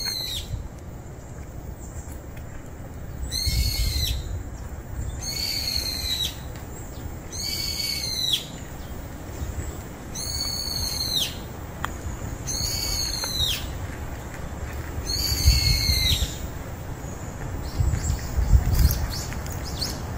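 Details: House cat Juhwang-i and stray cat Norang-i finally sharing a room: a series of six high, arched, harmonic meows about every two seconds, with low rumbling background noise.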